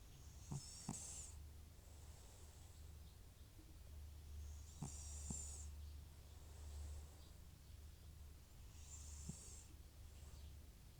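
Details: Butcher, an elderly FIV-positive cat with recurring runny nose and sneezing, asleep and snoring; hissy breaths recur about every four seconds over a steady low hum.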